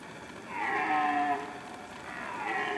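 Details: Rutting red deer stag lets out a loud, deep, harmonic roar lasting nearly a second, then begins another rising bellow as the clip ends, with constant hiss behind.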